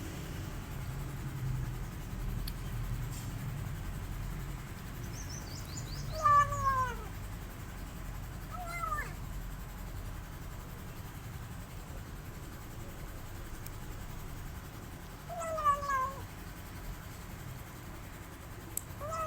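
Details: Male rescue kitten eating and missing his mother cat, giving three high, downward-sliding meows spaced a few seconds apart, with a steady low hum and quiet background.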